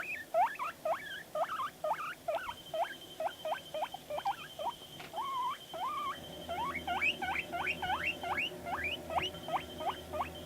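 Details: Pet guinea pig named Panda vocalising while responding to played media: a dense, fast run of high, hooked chirps, each note sweeping up then dropping, strung together almost continuously, with a faint steady background tone.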